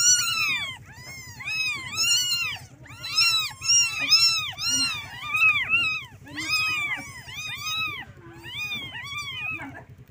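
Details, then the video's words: Kittens crying for their mother and milk: dense overlapping shrill mews, arched and insistent, coming in waves with short gaps, a low steady hum underneath. "Suara anak kucing panggil Induknya"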